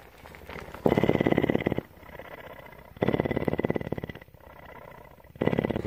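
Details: Female mountain lion kept at a Bridgeport, Texas rescue center, purring continuously; three loud, buzzy, pulsed bursts of about one second each, alternating with softer, lower purring between them.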